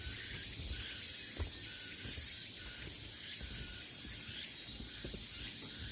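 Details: Cicadas on a pine forest trail at Deogeumsan, Namwon, South Korea, August 16, 2019: constant high hissing drone with brief louder pulses roughly every second, plus soft low rustling.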